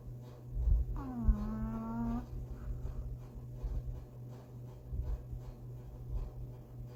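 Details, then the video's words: Tiny dog napping on a lazy Sunday, snoring surprisingly loudly: one drawn-out, steady, nasal tonal snore about a second long, over a constant low indoor hum. "How does something so small snore so loud?"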